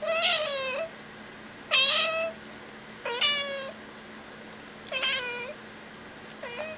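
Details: Cat meowing repeatedly: five short, nasal meows, each sliding down at the end, roughly every one and a half seconds, with a faint steady hum behind.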